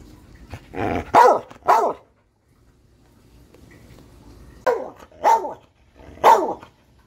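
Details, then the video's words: Catahoula dog with a brief rough growl sliding into two forceful barks, then quiet, then three more separate barks spaced about half a second to a second apart, each harsh and clipped. "Barking Dogs"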